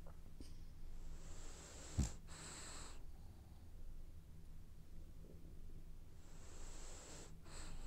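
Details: Sleeping French Bulldog, dreaming, gives two raspy whistling snore breaths about four seconds apart, a brief click between them, against a constant low-pitched hum.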